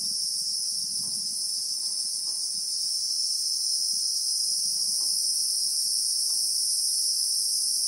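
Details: Relentless shrill droning of Christmas beetles in South African bushveld, a dense high two-toned hiss that never pauses, with faint low rustles and soft knocks scattered underneath.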